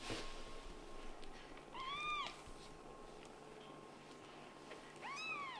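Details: Kitten meowing, possibly Latte, the white and brown short-haired eldest son in a family litter of a Scottish Fold mother and British Shorthair father, playing indoors. Two clear rising-falling harmonic meows near two and five seconds, with soft background hum.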